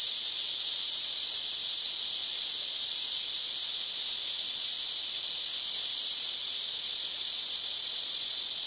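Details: Very loud blackish cicada chorus from rooftop trees near a house, several trees calling in turn; a dense, continuous high buzzing drone without pauses, steady in loudness throughout.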